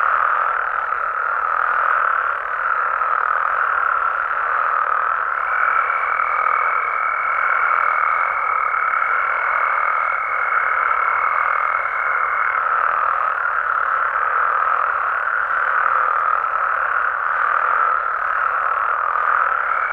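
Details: Frogs and toads calling at night in Mexican amphibian habitats: a dense, unbroken chorus of overlapping croaks forming a steady buzzing wall of sound, with one higher clear tone holding for several seconds partway through.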